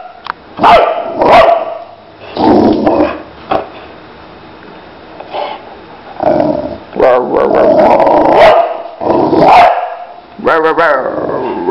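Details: Lila the Boxer dog vocalizes in intermittent bursts of barks and growling woofs across about twelve seconds, with quiet pauses between, and human speech mixed in among the dog sounds.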